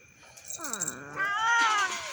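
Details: Domestic cats waiting by their plates to be fed rice indoors give a loud meow. It opens with a falling note, then swells into a long, strained wail that rises and falls. A person talks softly nearby.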